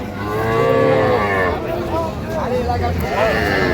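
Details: Cows with calves at the Raniganj cattle market in Dinajpur on 23 October 2025: drawn-out harmonic lowing with a long wavering moo near the start and shorter rising moos later, over market chatter and bargaining voices.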